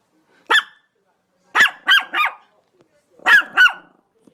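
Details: Begging dog giving six short, mid-pitched barks: one single, then a quick trio, then a pair, on a quiet background.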